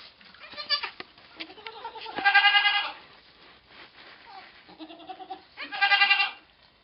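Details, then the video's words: Goat named Pong giving birth to twins on 2/11/11, bleating loudly in two strong harmonic-rich bursts, a shorter cry near the start, with softer bleats and shuffling between. "goat giving birth"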